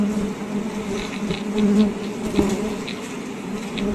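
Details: A Western honey bee (Apis mellifera) gives a steady, low droning wing buzz that hums on without pause, swelling slightly louder now and then.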